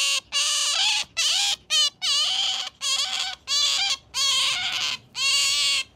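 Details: A pet otter, a female, gives high, squeaky chirps with bending pitch while being stroked, about one burst per second, some rising and some falling, with no other sounds.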